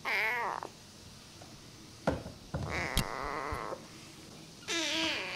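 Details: Rescued feral kitten Namba gives a short arched meow, then clicks, thumps and a steady drawn tone, before another high meow at the end.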